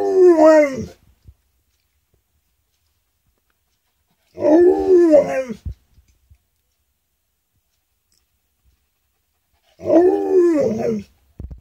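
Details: Alaskan Malamute howling in response to a siren, giving three short wavering howls about five seconds apart, each bending up and down in pitch with yelping breaks, silence between them.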